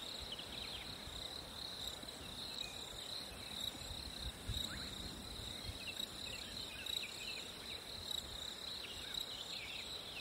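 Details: Hot summer day with crickets trilling steadily in a dense high buzz, joined by occasional brief bird notes and soft low rustling noise.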